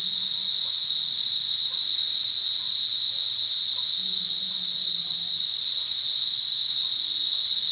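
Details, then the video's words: Cicadas in a forest give a loud, unbroken buzzing drone that stays high, steady and even in strength for the whole stretch, with faint low murmurs beneath. "cicadas lound buzzing noise in forest"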